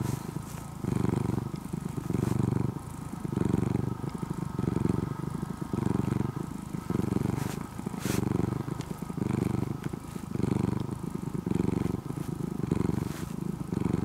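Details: Purring from an orange-and-white cat that began as a stray kitten near a home and is now almost a house cat. Steady low rumble swelling and easing about once a second, even and motor-like throughout.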